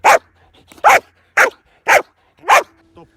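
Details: Domestic dog barking, a sound some scientists believe arose for telling humans about danger or a stranger; five loud, sharp, harsh barks spaced about half a second apart, then a faint short whine at the end.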